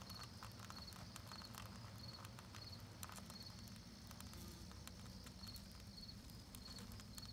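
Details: Propolis being chewed by bees makes sharp, uneven clicking bursts over a constant low drone, with a thin high chirp recurring at a steady pace throughout.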